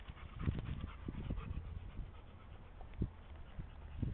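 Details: Dog barking at a playdate between best friends Henry and Olive on May 5, 2010, Olive giving a loud bark; short sharp barks burst out near the start, around three seconds and at the end over a muffled, rumbling background.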